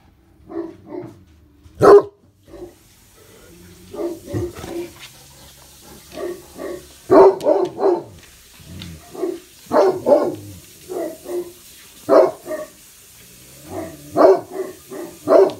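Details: Two Great Pyrenees guarding the house from upstairs bay windows, Blanche facing west and Lee east, barking in noisy stereo; steady run of deep, resonant barks, often paired, continuing for the whole stretch.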